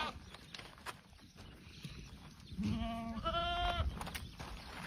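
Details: After a quiet stretch of shuffling farm noise, a Boer goat gives one short bleat that starts low and flat, then jumps to a higher, quavering, harmonic cry lasting about a second.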